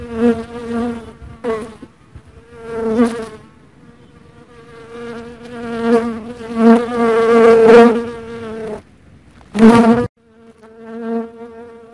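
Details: Dark honey bee buzzing close by: a loud, steady droning hum rich in overtones that swells and fades in pitch and strength, breaking off briefly near two and ten seconds before resuming.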